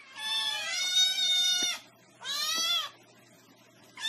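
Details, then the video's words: Cat meows: a long, high, bleating cry lasting over a second, a shorter second meow, and the start of a third, with quiet pauses between. "Funny Cats Meowing"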